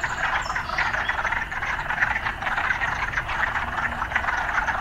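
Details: City frogs calling in a constant massed chorus, a buzzing, pulsing croak with no gaps. Faint clicky notes sit within it, and a light low background rumble runs beneath.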